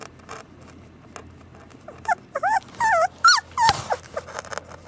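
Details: Samoyed puppies yelping in a quick run of looping, warbling whines that climb and fall, a sharp click midway and softer rustling around them.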